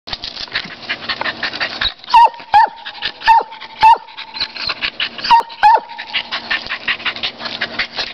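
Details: Champ, a dog, barking at a squirrel: sharp high yelping barks with a falling pitch, grouped in two bursts of three, over a steady thin whine and a rapid rattling chatter in the background.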